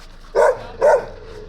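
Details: Two loud, gruff barks spaced roughly half a second apart from a stray Gampr dog found on a street in Abovyan, Armenia, while its owner is sought; faint background hum between them.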